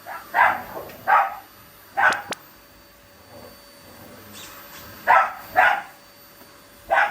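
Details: Shiba Inu going for the vacuum cleaner with a Labrador, growling in play rather than anger; six short gruff bark-growls in two clusters separated by a quiet pause, faint background hum.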